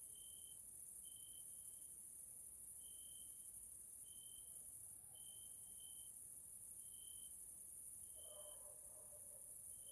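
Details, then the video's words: Evening grasshopper sounds from a nature area in Hungary, Central Europe: unbroken high-pitched insect buzzing throughout, overlaid by short clear tonal pulses repeating roughly every second, and a brief lower wavering sound near the end. "grasshoppers sounds in nature area Hungary Central Europe"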